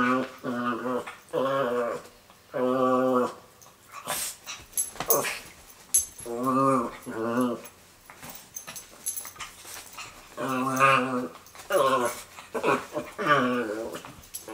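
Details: Miniature pinscher kept as a pet producing long, groaning, harmonic moans that bend up and down in pitch, several per burst, with gaps of quiet and a few sharp knocks or clicks in between.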